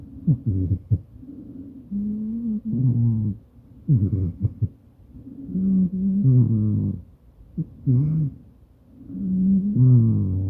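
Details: Sleeping Maine Coon Madoka, filmed by phone while sharing a bed with its owner, snores in low, rumbling, tonal bursts that bend downward, coming in steady groups with short quiet gaps.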